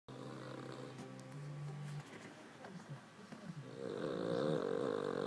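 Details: Charlie, a pet dog, snoring indoors; rhythmic low rasping breaths with a droning hum, growing louder and rougher toward the end.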